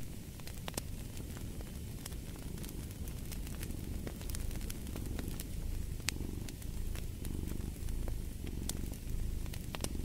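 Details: Domestic cat purring steadily in a low, rumbling drone with slow swells in loudness, paired with a crackling fireplace whose sharp pops and snaps scatter across the whole stretch.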